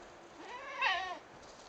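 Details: Goat Shiko, a mother watching her one-week-old twins hop on an oak stump, gives a single wavering bleat lasting under a second, harmonic-rich and briefly rising before falling away, with quiet background.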